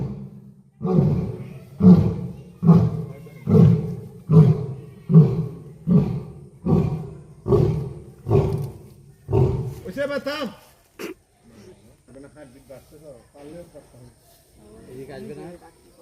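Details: A lion, a fine maned male, gives a series of deep, grunting roars, each fading into the next, then people talk; recorded at Dulahazra Safari Park, Chittagong.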